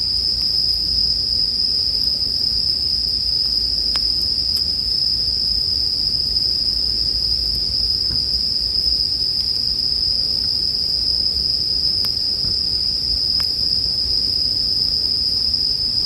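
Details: Steady, unwavering high trill of bell crickets beneath a crackling campfire, a handful of distinct wood pops scattered through the stretch, arranged as relaxing sleep ambience.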